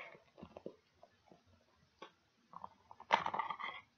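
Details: Pet dog gnawing on pig ears inside, soft scattered crunches building to a louder burst of crackling, grinding chews near the end, with brief silences between bites.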